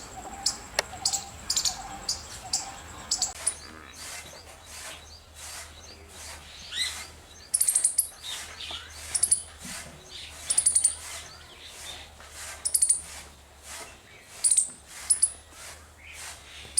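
A squirrel gives sharp, high-pitched chirps, repeated in quick bursts over a low background hum.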